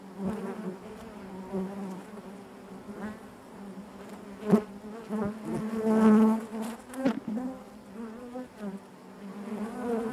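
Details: Many honey bees humming together within the hive, a thick even drone with rippling overtones, broken by short louder buzzes of nearby bees and a few crisp clicks.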